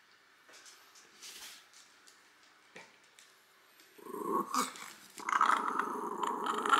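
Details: Small three-year-old female Shiba Inu in Fukuoka growling while her nails are cut, quiet at first, then a loud sustained rumbling growl from about four seconds, rising and continuing to the end.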